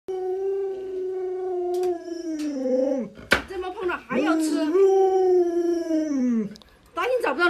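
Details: Luoluo, a pet Alaskan Malamute, howls indoors while pestering its owner for a chicken drumstick: long, steady, tonal howls that sag in pitch at the ends, broken by a short wavering whine mid-clip, then a brief yelp.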